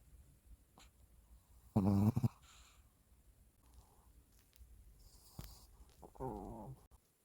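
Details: Sleeping Shih Tzu snoring: a loud, rasping, buzzy snore near two seconds and a second rattling snore near six and a half seconds, with soft breathing and faint rustles between them in a quiet room.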